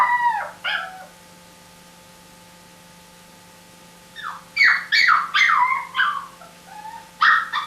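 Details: Dog whimpering and whining in high, wavering, slurred cries: a pair of short whines at the start, a long quiet gap over a steady low hum, then a burst of rising-and-falling yelps and a final whine.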